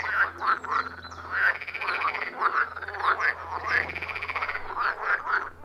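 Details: Loud frog chorus from a quiet forest pond, iPhone 14 Pro with Shure MV88+ microphone; quick rasping croaks repeat several times a second, layered from multiple callers, with a faint low hum.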